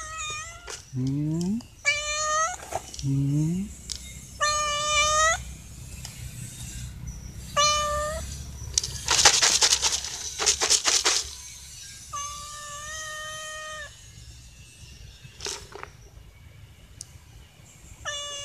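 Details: Three stray cats meow to beg for dry food they expect to be given: a rapid series of clear, harmonic meows, some short and rising, others long and level, overlapping one another, with bursts of rustling and crunching between them.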